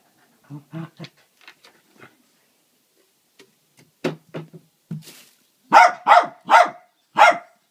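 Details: Pet dog scolding its owner after a missed ball throw, playing indoors on a ramp fitted to reach the bed; soft grumbles and huffs at first, then four loud, sharp barks in quick succession at the end.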